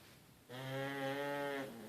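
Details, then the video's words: One drawn-out, even-pitched snore, just over a second long, from sleeping puglets in a quiet room. It rises out of near silence and fades at the end. "Loud pug snore"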